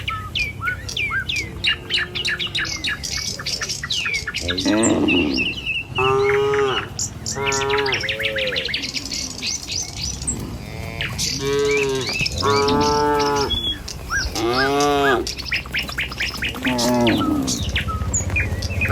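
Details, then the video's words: Tame cattle moving in a line along a village road to their pen in the morning; birds chirp through the first seconds, then many wavering moos overlap one another, with more chirping between them. "Suara Sapi Moou Sepanjang Jalan Menuju Kandang"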